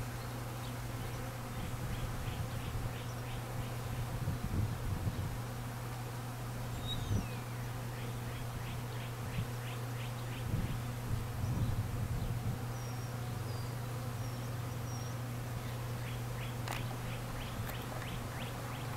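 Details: A crowd of honey bees feeding at an open feeder and leaned-up honey frames, some fighting, in cold-night weather: a steady deep buzzing hum swelling at times, with bursts of quick repeated bird chirps and brief high notes.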